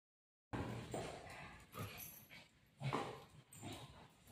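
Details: Pet dog Buzo play-fighting while sitting on mummy's lap gives short gruff growly barks and whimpers in scattered bursts, one louder burst near the middle, with rustling handling noise throughout.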